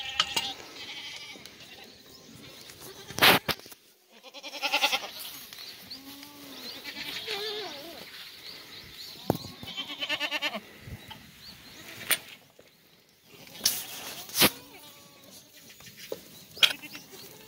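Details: Several black goats on a farm in Gimhae, South Korea, on a clear December Saturday afternoon: repeated quavering bleats of varying pitch overlap through the clip, broken by sharp clanks and bangs.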